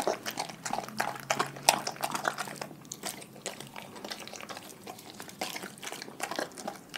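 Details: Raw-fed dogs chewing their meal up close: rapid wet crunching and slurping, dense bursts in the first seconds, then a steadier run of bites.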